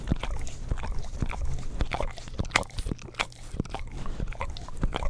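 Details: An English Cream Golden Retriever pet dog licks an Orapup tongue cleaning brush beside a Blue Yeti stereo microphone, giving dense wet smacking and clicking licks in quick irregular bursts over a low steady hum.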